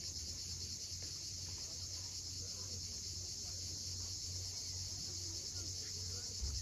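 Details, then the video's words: Cicadas at sunset on the steep coast at Cape Fiolent, Crimea: a steady, unbroken high buzzing drone fills the clip, with a low hum and soft murmuring of waves beneath. "Cicadas at sunset."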